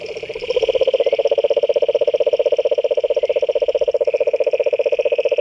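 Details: Frogs in a pond give fast, even rattling croaks, about ten pulses per second, over a continuous shrill trill in the background.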